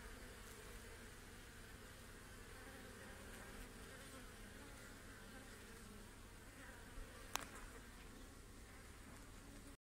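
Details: Honey bees on a hive frame with their queen during a hive inspection give a steady, dense, low buzz, with a sharp click near the end.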